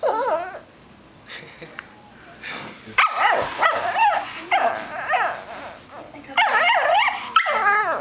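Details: Female Shih Tzu grumbling in a sing-song way instead of barking: wavering, whiny moaning phrases that rise and fall in pitch, starting faint and then coming in louder bursts with short pauses between them.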